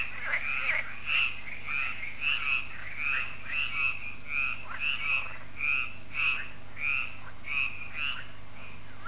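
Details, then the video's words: Frogs quacking their evening song at Lac de Sabatte, a lake in France, after the solar lights switch on; short rasping croaks repeat about twice a second in a fairly steady rhythm over a faint hum. "Froschkonzert an Crystals Lake"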